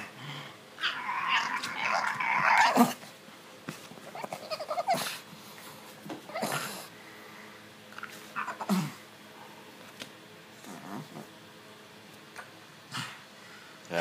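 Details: Pug named Stitch rubbing and scratching his itchy neck indoors, giving a burst of snuffly, rasping grunts early on, then scattered short snorts and sniffs among scratching sounds in a small room.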